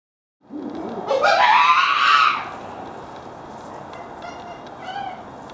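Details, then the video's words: A rescued chimpanzee at Chimpanzee Sanctuary Northwest screams during a brief scuffle among group members in a neighboring area: a loud, harsh scream rising steeply in pitch over about two seconds, then fading into room noise with faint later cries. "Chimpanzee runs in response to scream from group member"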